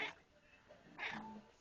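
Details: Extra-toed pet cat talking to a person, giving two brief, high, chirpy meows about a second apart, each a short bright burst, with quiet background hum between them.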